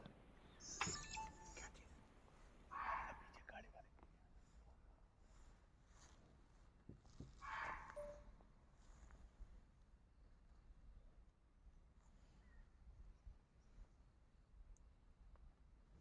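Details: A barking deer (kakar) in the Bijrani zone of Jim Corbett National Park, Uttarakhand, India, gives a few short, harsh barks several seconds apart over quiet forest background during a tiger search.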